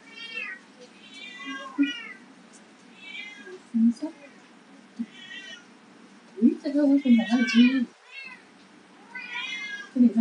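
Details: Abandoned white kittens of Persian and Domestic Medium Hair mix, three months old and awaiting adoption, meow again and again in high, thin, arching cries about once a second, with a person talking in Chinese partway through.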